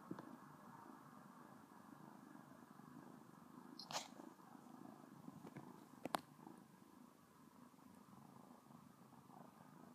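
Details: Sona, a domestic cat, licks a finger and purrs, giving a continuous low, even rumble indoors, broken by two sharp clicks.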